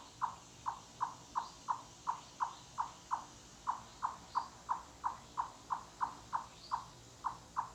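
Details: Chipmunk in the woods producing loud knock-like clucks that echo through the forest; brisk regular series of short hollow notes about three a second, a brief pause midway, faint high bird chirps in the background.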